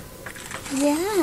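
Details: A cat visiting through a window lets out a single wavering meow that rises, dips and rises again before falling away. Indoor room tone is in the background, and a human voice is heard just before it.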